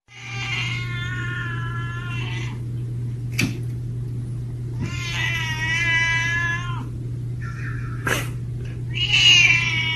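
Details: Cat giving three long, drawn-out wailing meows, each held for about two seconds with a strained, droning quality, over a steady low electrical hum with a couple of sharp clicks between calls.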